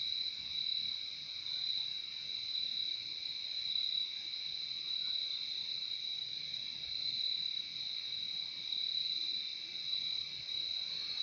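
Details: Steady cricket song from a calming nature recording, a high, even, shimmering trill layered in two bands, continuing without pause and with nothing else clearly heard.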